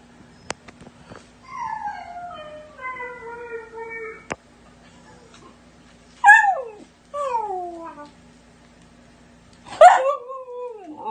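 A Siberian husky puppy gives a long, slowly falling howl, then shorter yelping howls.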